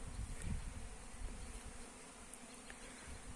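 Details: Honey bees collecting nectar among flowers in a yellow mustard field, a low, rough droning hum that swells near the start and then settles into a steady murmur.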